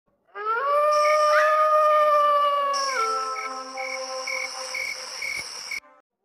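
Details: Jackal giving a long, smooth, steady howl with strong overtones that rises at the start, holds level, then drops and weakens near the end. Steady insect buzzing and evenly spaced chirping pulses continue underneath.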